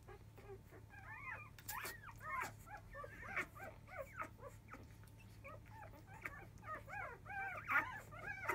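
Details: A litter of field-type Labrador Retriever puppies, five days old, squeal noisily at the start of an early-afternoon nursing session with their mother biscuit. Bent, whistly whimpers are scattered among soft thumps and clicks.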